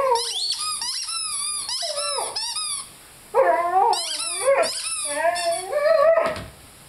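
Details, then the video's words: Five-month-old Rhodesian Ridgeback named Lyle howling along with his squeaky chicken toy; bent, wavering vocal notes rise and dip beneath quick, repeated high toy squeaks, with a brief silence midway. "Rhodesian Ridgeback Howling with squeaky toy."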